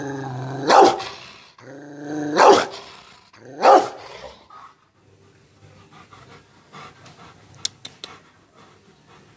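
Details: Rottweiler angered by being teased, recorded on a Samsung C7 Pro phone: three loud, harsh, growling barks roughly every one and a half seconds, then near silence with faint clicks and rustles.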